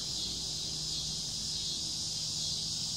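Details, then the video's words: Summer cicada chorus: a dense, hissing high-pitched drone without pause, even in loudness, with a quiet low hum beneath. "Sound of summer Cicada's"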